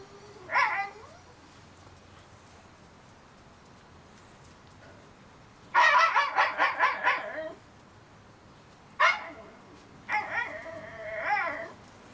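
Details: Litter of Shiba Inu pups, 30 days old, giving scattered short cries and a run of pulsing whimpers, then a sharp yip followed by a wavering whine; a faint human voice may be present.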